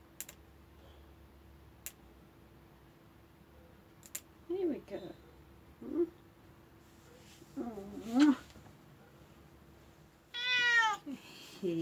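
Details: Pet cat, Ruby or Lugosi, having its claws clipped for the New Year: several short wavering meows spaced a couple of seconds apart, then a louder, longer harmonic meow near the end, with faint clipper clicks and quiet Spanish speech.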